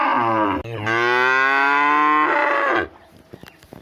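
A cow gives a loud, drawn-out moo that starts low and swells into a long, harmonic-rich bellow.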